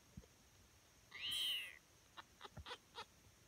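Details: Tonkinese kitten, five days old, at morning nursing: one high, thin, slightly falling mew lasting about half a second, followed by soft clicks and shuffling sounds.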